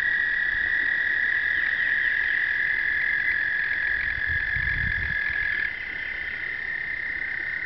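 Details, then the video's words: Chorus of breeding American toads on an Indiana pond in early spring, during explosive breeding on the first warm days; continuous overlapping high, even trills forming a steady ringing drone, with brief low rumbling, recorded on a point-and-shoot camera. "American Toads Explosive Breeding 2011"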